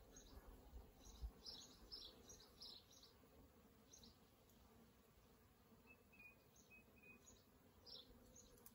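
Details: Wild honey bees around their hive in an old elm tree, Kyneton, 1st January; a continuous low droning hum with repeated short bright buzzes as single bees fly past, plus a faint high chirp late on.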